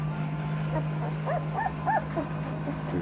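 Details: Noble Asian Bear puppies, two weeks old, of Tibetan Mastiff, American Akita and Caucasian Ovcharka descent, give about four rising-and-falling whimpers in a quick burst midway, set against a constant low hum.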